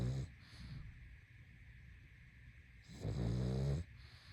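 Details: Snoring pug in deep sleep: a short snort, a quiet inhale, then a long rattling low snore of nearly a second, over a faint steady background hum.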